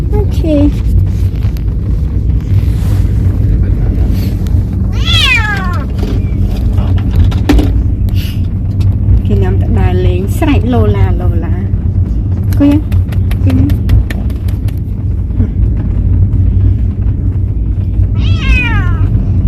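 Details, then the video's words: Talkative cat on its first outing, travelling for sightseeing, gives scattered short meows, a few clearer rising-falling ones, partly masked by continuous low road rumble and occasional clicks. "Talkative cat travel for the first time."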